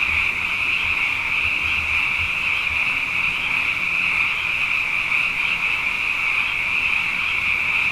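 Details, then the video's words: Night chorus of numerous frogs after two consecutive wet years: a steady, shrill wall of overlapping trilled calls with slight wavering, plus a soft low hum underneath. "Frog Songs: Na Mele o nā Paloka"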